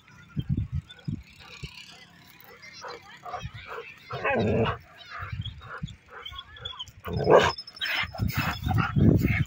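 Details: Rottweiler in an aggressive mood, giving deep, loud barks in irregular bursts, some single and some doubled, with growly low tones between and faint background noise.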